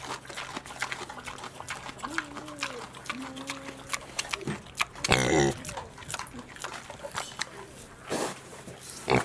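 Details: Miniature pigs named Pin and Pan at Very Belly Farm Nishiwaki, Hyogo Prefecture, Japan, November 9, 2019: soft low wavering grunts and squeaky calls, with clicks, rustling and bumping noises throughout.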